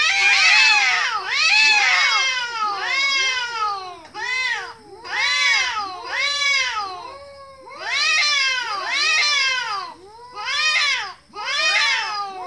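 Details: Loud chorus of cute kitten meows, overlapping arched wails in bursts of about one per second with brief quieter gaps between them. No other sounds.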